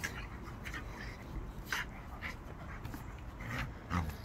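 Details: Staffordshire Bull Terrier at play gives brief, breathy huffs, snorts and panting at uneven intervals over a few seconds, with a steady low rumble and scuffling underneath.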